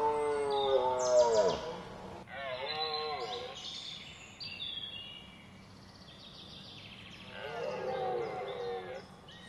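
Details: Red deer (Cervus elaphus) during the rut in Hoge Veluwe National Park, Netherlands, 19 September 2010: a loud groaning roar falling in pitch, then a shorter one, and later a fainter roar, over a steady natural background.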